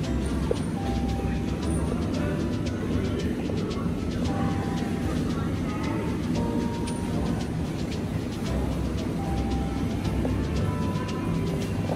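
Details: A steady low rumble like a vehicle or train fills the recording, with faint music and occasional brief tones, and no animal sound is heard.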